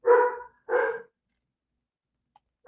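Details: A dog gives two quick, rough barks close together, then starts a third, barking at rain as severe storms with heavy rain, lightning, thunder and wind move through on a Friday night.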